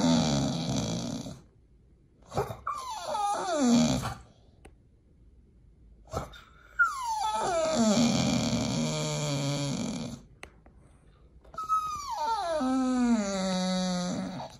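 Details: Pit Bull named nomyen begging at feeding time indoors before a raw meal; long tonal whines that slide downward from high to low pitch, in three drawn-out bouts separated by short pauses and sniffing.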